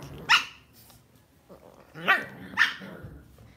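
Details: Lhasa Apso, a pet dog kept at home, giving three sharp, high barks: one early, then two in quick succession about half a second apart, with a faint low growl in between, in a quiet indoor setting.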